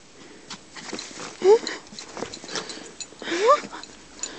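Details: Pet dogs Toby, Bonnie and Taz playing outdoors in the snow. Two short rising whines arrive about two seconds apart over soft shuffling, scattered thumps and a low hum of background noise.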